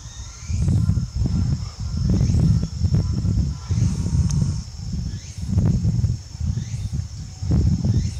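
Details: Thick, low calls from Uzuki Sasuke, a jaguar without a tail, recorded at Tobe Zoo on 5 October 2021. Deep rasping grunts come in regular bursts about once a second, each pulse resonant and coarse, over a steady faint high hum.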